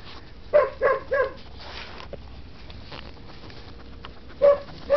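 An English Springer Spaniel gives three quick, sharp barks, then two more after a pause.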